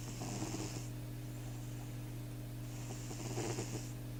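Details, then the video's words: A sleeping cat snores in two raspy, breathy pulls, one at the start and a longer one near the end, over a steady low electrical hum. "Кот храпит."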